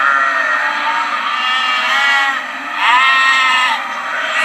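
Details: Lamb bleating in high, wavering calls, with a louder rising bleat near the middle and a steady background hiss.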